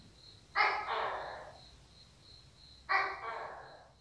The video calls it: Tiếng Tắc Kè Kêu - Tắc Kè - Sound Of Tokay Gecko/ HOANG TUAN TV